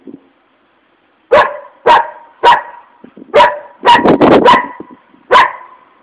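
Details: Angry dog barking: after a second of quiet, sharp loud barks come about every half second, with a quick burst of overlapping barks near the middle and one final bark.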